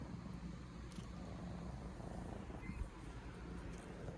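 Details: Two purring kittens, Pepper and Bosco, three months old, keeping their owner company at waking with affectionate purrs; a steady, low, continuous rumble throbs without pause, faint overall, with a soft higher click near the end.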